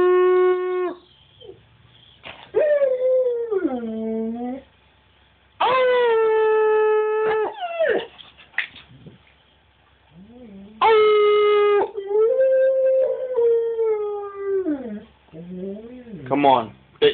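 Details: Cash, a husky/wolf hybrid, sings in a run of howls: long level notes alternating with sliding, falling wails and short yips, while a person encourages with "you can do better, come on".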